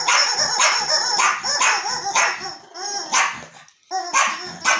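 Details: Archie the Yorkshire terrier with his new toy: loud, high yappy barks about one per second with a whining, wavering edge, a brief lull near the four-second mark, then more barking.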